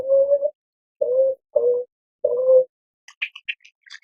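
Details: Beaver in a natural setting giving four short, nasal, whiny tones a moment apart, followed by a few quick, high chirps from a small bird near the end.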